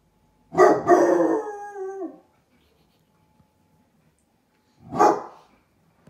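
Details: ['Two young basset hounds at a window, alarmed by a stranger outside, give a long, wavering bay that drops in pitch. After a few seconds of quiet comes one short, loud bark.']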